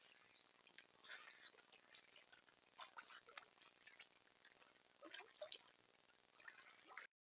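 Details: Beaver sounds from a trail cam on the edge of a beaver pond in central Alberta: a steady run of short, high squeaks and thin whines, irregular and overlapping, with soft rustling and clicks underneath.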